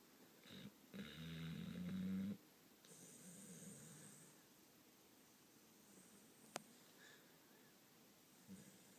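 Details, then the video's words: Deeply asleep dog named Mason snoring indoors: a long, loud rasping snore that rises slightly in pitch, followed by softer, breathier inhales and exhales, with a single sharp click midway. "Mason Snoring lol"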